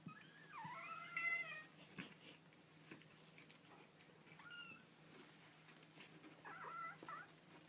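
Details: Young kittens calling: a longer, strained mew rising then falling opens the clip, followed by a short mew midway and a brief squeaky one near the end, over a low steady hum and soft rustling.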